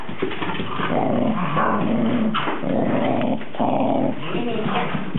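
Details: Cardigan Welsh Corgi named Goro, recorded 13 November 2008, giving low, drawn-out grumbling growls in several roughly one-second stretches separated by brief pauses, with a steady muffled background throughout.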